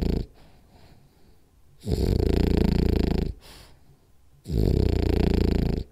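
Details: Rolly, a French Bulldog, snoring hard indoors during a power nap; two loud, rattling, low snore bursts a bit over a second long each, separated by quiet breathing pauses, plus a short faint breath near the start.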